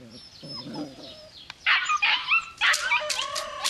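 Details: Belgian Malinois puppy: a quiet rustling start, then from the middle a run of loud, high yelps and short squeaky whines.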